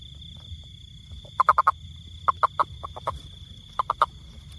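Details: Short clipped croaks from a toad, delivered in tight groups of three or four rapid pulses, loud and clear above a continuous thin high tone and soft low hum.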